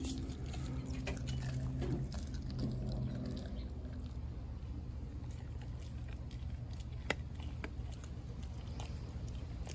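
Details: Raw turkey neck being chewed by Denali, a four-month-old American Blue Bay Shepherd dog; scattered crunching and clicking bites, softer in the second half, with a single sharp snap and a steady low hum.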